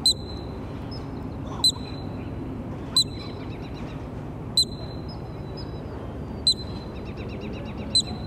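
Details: Columbian ground squirrel in a park near Banff, Alberta, Canada, watched by a crowd: sharp, high single chirps with a bright ringing tone, repeated every one to two seconds over steady low background rumble.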